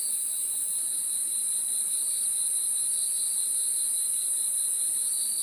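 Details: A nocturnal cricket chorus: shrill, constant trilling on two high layers, the lower one gently throbbing, steady and even throughout with no other noises.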